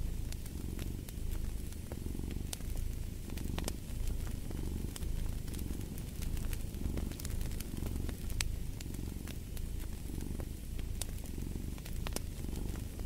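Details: A domestic cat purrs steadily in a deep, low rumble that swells and fades about every second and a half, rising on each breath, while a fireplace adds sharp scattered crackles and pops throughout.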